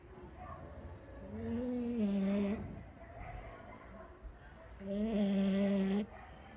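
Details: French Bulldog asleep and snoring, with two rising, buzzy-tonal snores that swell and then settle into a steady hum, and quieter breaths between them.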